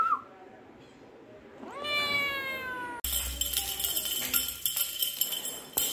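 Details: Persian cat giving one drawn-out meow, rising in pitch and then holding steady for about a second. It gives way to a sudden burst of hissing, crackling background noise with faint thumps.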